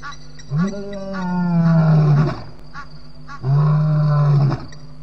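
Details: Lion roaring loudly at 12:20 am on 9 May 2017 at Djuma waterhole, Djuma Game Reserve: two long, deep, moaning calls, each lasting over a second, with a steady background hum.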